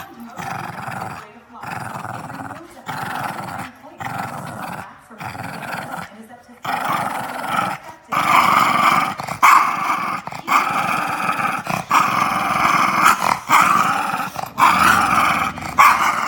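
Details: A female Boston Terrier pup growls in rough, rumbling bursts while guarding a bone she won't share, with a person talking nearby.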